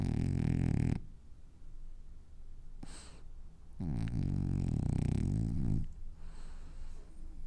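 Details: Sleeping French Bulldog having dreams gives a heavy, gurgling snore, then a quieter snuffle, then another long rumbling snore lasting about two seconds, all low-pitched and wheezy.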